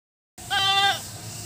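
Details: Goat at its bahay kubo (nipa hut) shelter giving a single short, nasal bleat of about half a second, rich in harmonics with a slight quaver, then fading into a low background hum.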